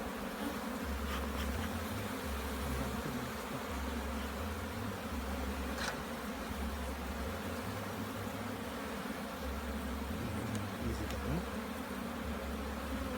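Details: A Jamaican bee colony hums steadily throughout an inspection of the hive, a thick, low, constant buzz with occasional light knocks.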